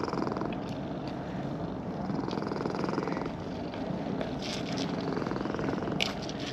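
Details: Brown-and-white cat in a park purring with pleasure while being stroked; dense, even rumble pulsing with its breathing, overlaid by brushing sounds of a hand moving through fur.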